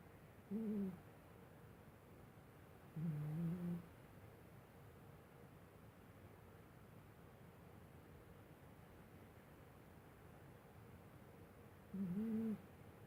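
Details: Asleep, Pumba the cat gives three short nasal whistled snores, widely spaced with long quiet gaps of steady room hiss between them, each low and slightly wavering in pitch.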